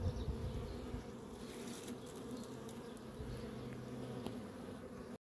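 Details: Honey bee swarm busy making honey, a dense, steady low drone of many wings humming together with layered overtones, unbroken for the whole five seconds, with faint scattered clicks and ticks above the hum.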